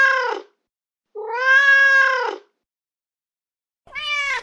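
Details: Male domestic cat in heat giving three loud, clear, tonal meows: a short opening cry, a long drawn-out sustained wail, then a third starting as it ends, with quiet gaps between.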